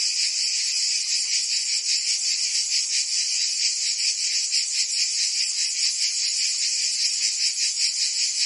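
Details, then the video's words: Provence cicadas in summer: an intense high shrill chorus that pulses quickly, slightly uneven in its beats, filling the whole recording without pause. "Cicadas singing in France (Provence)"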